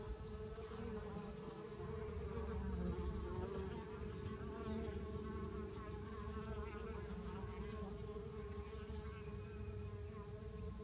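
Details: Bees fighting one another; continuous mid-pitched buzzing drone with layered overtones, slight wavering wingbeat tones and a dense low hum beneath.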